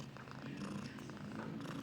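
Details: Pet Persian cat showing affection indoors, a steady low rumbling purr running without pause through the whole stretch, soft and even in loudness, with faint handling noise in the background.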